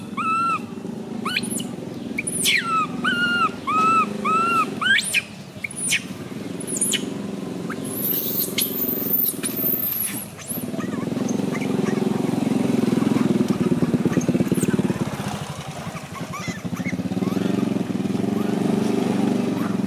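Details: Baby monkey MoMo crying after a fall: a few short arched whimpers early on, a burst of piercing high screams midway, then rustling and steady background rumble with no calls.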